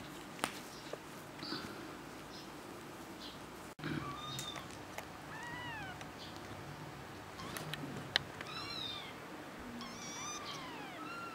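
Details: Kitten indoors giving a string of thin, high meows from about four seconds on, each an arched, rising-then-falling whine, coming in quick bursts over a soft background hiss with a few light clicks.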